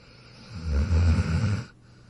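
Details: A single deep, gravelly snore from a dog, swelling and holding for about a second before cutting off.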